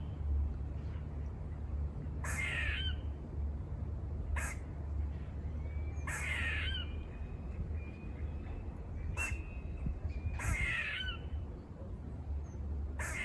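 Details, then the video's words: Squirrels near a farm giving harsh, buzzy barking calls, three bursts spaced about four seconds apart, each with a falling rasp, amid sharp clicks and a steady low rumble. "Adventurous squirrel sounds//Squirrel barking calls// Squirrel noises// Squirrel buzzing sounds"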